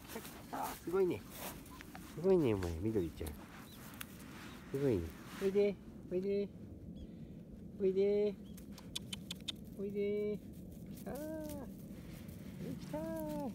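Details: Litter of field-line Labrador Retriever puppies, one month old (31 days), running on grass. Whimpers drop in pitch and repeat irregularly every second or two over low rustling.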